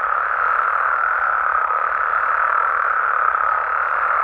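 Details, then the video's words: Mexican frogs and toads at night, many voices blending into an even, buzzy hum of calls with no pauses and no other sounds standing out. "Mexican Frogs & Toads Sounds"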